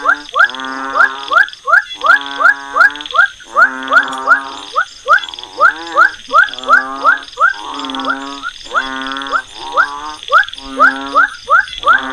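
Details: Frog calls played back for a demonstration of a frog species identification system: a dense series of harmonic, nasal croaks with rising ends, grouped in quick bursts, over a constant high-pitched electronic whine.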